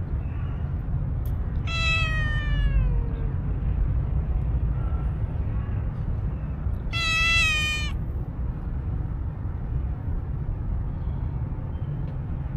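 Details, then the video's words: Stray tuxedo cat with an angry voice, two drawn-out meows around two and seven seconds, each strongly harmonic and falling slightly at the end, over constant low rumbling traffic noise. "Tuxedo Cat with Angry voice"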